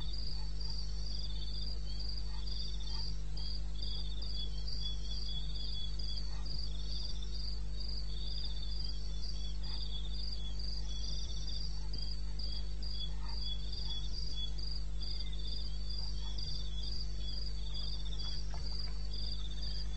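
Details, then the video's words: Crickets calling in the wilderness of eastern Botswana at 2:30 AM on 21 May 2016, several insects repeating high, pulsed chirps in steady overlapping bands over a constant low hum. "1 Hour cricket sound"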